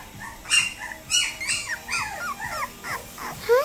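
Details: Male Cavapoo puppy born on 3-30 making thin, high whimpers and squeaky yips, short bending notes in quick succession, ending on a rising squeal, over a steady low background hiss.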